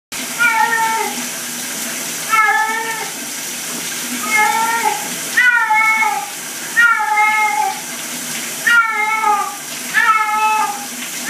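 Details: Domestic cat put in a shower gives a string of drawn-out, wavering meows with bending pitch, about eight in eleven seconds. Steady hiss of running water throughout.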